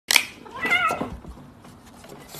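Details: Cat eating tuna lets out one drawn, wavering meow with a rising then falling tone, preceded by a sharp click and followed by quiet indoor room noise.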